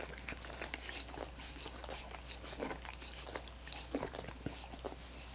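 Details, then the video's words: Dogs licking coconut water popsicles, rapid wet slurping clicks in short clusters, a few crisp crunchy smacks standing out, steady low hum beneath. "Dogs Licking Coconut Water Popsicles"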